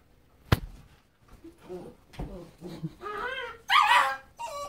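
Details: German Shepherd family at play, parents Grunt and Roux with their puppy: a sharp knock, then soft whimpers, followed by louder, rising yelps and a short, bright bark-like cry near the end.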